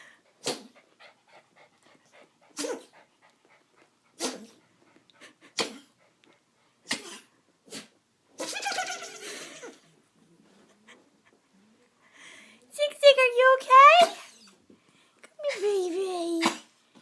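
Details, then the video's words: Ziggy, a pet dog, sneezing: a string of sharp, brief broadband bursts spaced one to two seconds apart, then a longer noisy snort and several whining, wavering vocal sounds toward the end. "Ziggy Sneezing"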